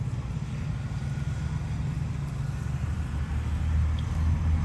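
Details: Steady low rumble of wind or passing traffic fills the whole stretch, with no calls or animal voices standing out above it.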